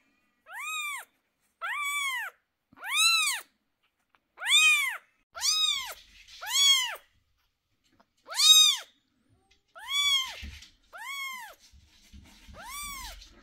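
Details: Domestic cat crying indoors while medicine goes into the sore eyes of two 11-day-old kittens; about eleven loud, arched, harmonic-rich wails, each under a second, repeated every second or so, with faint handling noises near the end.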